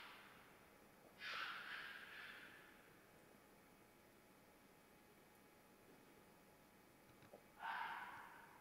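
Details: Single loud hoarse scream from a red fox in mating season, trailing off, followed by a long silence and a second abrupt raspy scream near the end.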